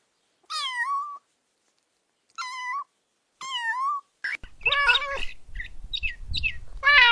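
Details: Kittens stalking and chasing butterflies on grass; three clear descending meows with pauses, followed by a flurry of overlapping chirpy mews and rustling noise.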